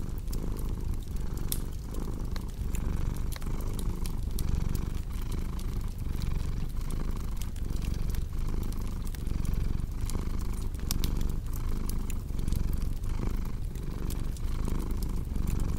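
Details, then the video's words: Domestic cat purring beside a crackling fireplace: a steady low rumble that swells and fades with each breath, roughly once a second, overlaid with frequent sharp pops and snaps from the fire. "Purring Cat with Cozy Crackling Fireplace Sound"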